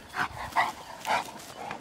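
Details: Nerius, a two-year-old Cane Corso, after finding horses by scent in overgrown wasteland and woods and bringing them in: three short, loud barks about half a second apart, then a softer fourth, over faint outdoor background.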